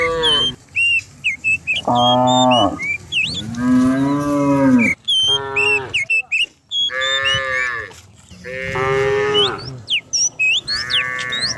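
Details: Dozens of cows running down a hillside in the morning in the countryside; several overlapping moos from many animals in quick succession, some rising and falling, amid busy bird whistles and chirps.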